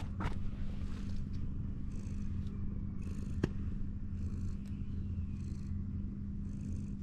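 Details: Ginger tabby cat sprawled belly-up against a wall while being stroked; a continuous low rumbling purr runs throughout, with soft brushing swishes of hand over fur recurring every second or so and a steady low hum beneath.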